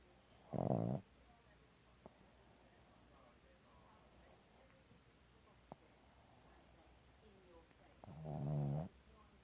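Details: A female Boston Terrier snores, two rough, rumbling breaths spaced several seconds apart.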